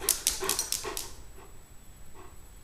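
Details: Blue Weimaraner, a male foster rescue dog, impatient and hungry while his soaked food is prepared at meal time: a quick series of about six sharp, high yips in the first second, then quiet room tone.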